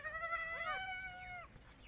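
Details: A baby goat on a goat farm, calling when separated from the adult goats, gives a high, wavering bleat lasting over a second, followed by a fainter cry.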